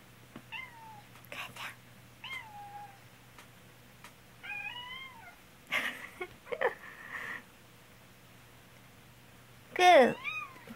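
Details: Black house cat meowing repeatedly as its owner, ill with a cold, coughs: a string of short falling meows, then a quick trill-like series, broken by harsh coughs, ending with a loud, close meow amid low hum.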